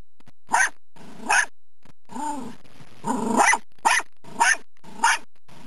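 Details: Dachshunds hunting a woodchuck in mud bark in sharp, rapid bursts, with a low rumbling growl between them.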